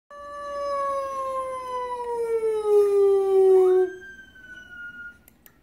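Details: A female Cocker Spaniel gives one long, sustained howl, rich in overtones, that slowly falls in pitch over nearly four seconds. It rises briefly at the end before fading into quiet background.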